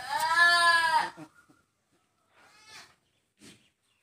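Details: Newborn goat kid being saved on a goat farm; one loud wavering harmonic bleat lasting about a second, followed by a quiet pause and two faint, shorter bleats.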